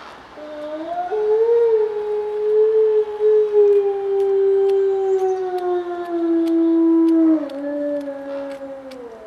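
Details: A gray wolf gives a long, smooth, slowly falling defensive howl in response to sled dogs barking and howling across the road, during a warm, short winter, while another wolf chews a deer leg in the foreground.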